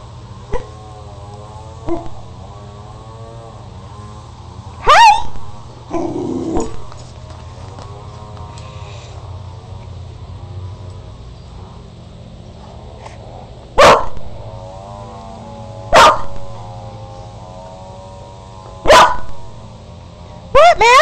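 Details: Max and Molly, two growing puppies, playing indoors; long, wavering, tonal whines sound through most of the stretch, broken by sharp clicks and knocks at intervals and brief human voices.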